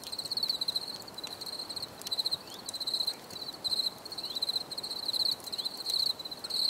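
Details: Crickets chirp in a steady rhythm, each burst a quick high-pitched rattle of pulses separated by short pauses, with faint ticking sounds and soft background noise.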